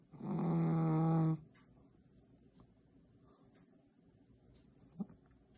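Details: Sound asleep, a Chihuahua from Saint Petersburg gives one long, buzzy snore lasting over a second, rich in overtones. A quiet stretch of soft breathing noise follows, with a faint click near the end.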